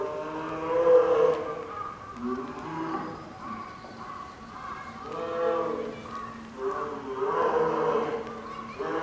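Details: Hungry-seeming female polar bear cub Lila whines near lunchtime at Maruyama Zoo, Sapporo, on a stormy late morning in October 2015; a long run of overlapping low, lowing harmonic moans rising and falling in loudness.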